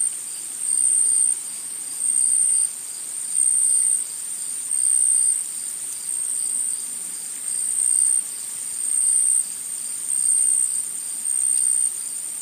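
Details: Insects calling in a forest: a shrill, high-pitched continuous buzz that swells and fades in regular pulses about every one and a quarter seconds, with no other clear sounds.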